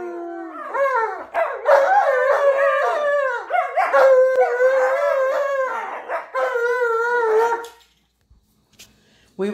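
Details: Alaskan Malamutes at home, two snow dogs, howling and 'talking' in long wavering tonal calls that rise and fall, several overlapping, lasting nearly eight seconds before a pause; a brief human voice at the end.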